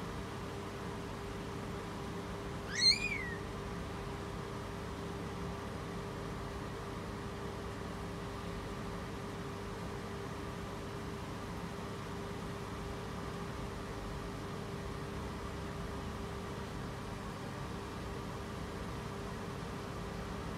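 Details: A female British Shorthair cat in labour, apparently unsettled by her birthing spot, gives a single short, bright meow over a steady room hum.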